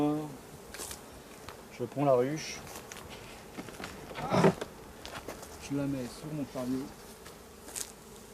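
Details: Honey bees from a drone-laying hive, their frames shaken out about fifty metres from the apiary; short droning buzzes waver in pitch as single bees pass close, separated by quieter stretches of background hum.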